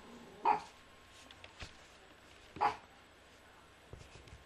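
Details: Pet female Yorkshire Terrier, three years old, barking in a living room: two short, clipped yaps roughly two seconds apart, with faint knocks and a steady hiss of room noise between them.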